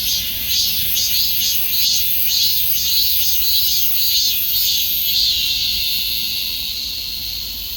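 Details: High, grating cicada drone with soft pulses repeating about twice per second, gradually weakening toward the end, over a constant background hiss.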